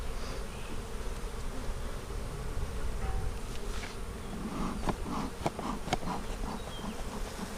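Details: Honey bee colony hum during an April 2017 inspection of a spring split meant to prevent swarming; low continuous buzzing with a cluster of clicks and taps from handling the frames midway.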